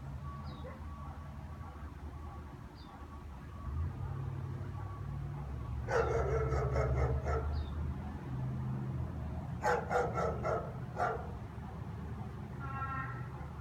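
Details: German Shepherd barking every afternoon at nothing in particular; after a quiet stretch with low rumbling background, two clusters of repeated barks around six and ten seconds, followed by a short harmonic sound.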